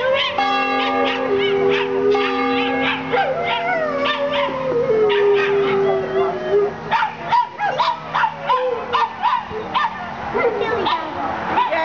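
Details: Neighbour's dog howling while the bell is rung for worship at East Hampstead Union Church in Hampstead, New Hampshire; a long sliding howl rises and falls over sustained ringing bell tones, then breaks into shorter wavering yips and howls.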